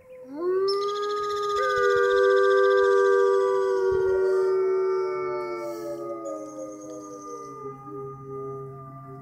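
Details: Several wolves in the Canadian Pavilion of Toronto Zoo, Canada, howling in chorus near closing time: long sustained tones that rise and then slowly fall, overlapping voices at different pitches, fading toward the end.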